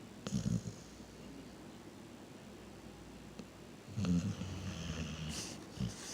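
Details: Reese, a pet dog, snoring while asleep: two bursts of low, rumbling snores near the start and after four seconds, separated by quiet breathing, with a faint hiss and a few soft clicks.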